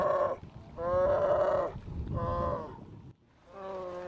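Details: Grizzly cub in its second summer pleading to nurse from its mother at Silver Salmon Creek in Lake Clark, Alaska, in June; four droning, buzzy, tonal wails, the second longest and loudest, separated by brief pauses.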